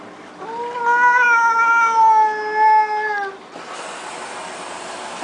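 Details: Domestic cat crying during a flea bath, one sustained wavering wail of about three seconds, then running water rushing.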